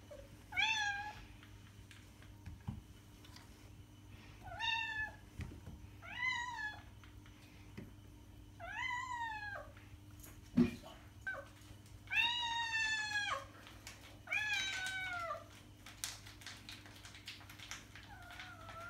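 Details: Cat meows meant to lure other cats: a string of short, bright meows arriving every second or two, a few longer wavering ones later, with scattered clicks and taps in a quiet room.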